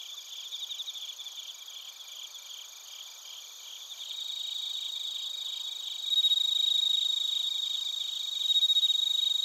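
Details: A chorus of bell crickets and crickets from Narita in Chiba Prefecture, Japan, taken on a TASCAM Portacapture X8. Rhythmic rapid chirps pulse beneath high continuous trills, and the volume rises in steps as nearer singers join in.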